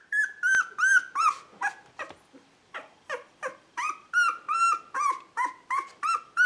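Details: Two-week-old Beagle puppies from a breeder's litter born 19 February 2016, calling in a rapid series of high, whining squeals, each bending downward, about three per second, loud and steady throughout.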